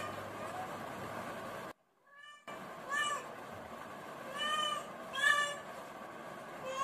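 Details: Domestic cat meowing, from a recording of cats and kittens: a few short harmonic meows after a brief silent gap, slightly rising then falling. Human voices are heard earlier, with a steady background hum.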